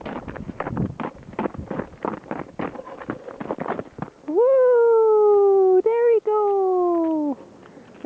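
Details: German Shepherd puppies, six weeks old, reacting to a man calling them: a sustained, slowly falling howl-like whine lasts about three seconds, briefly broken, after spoken praise and rustling.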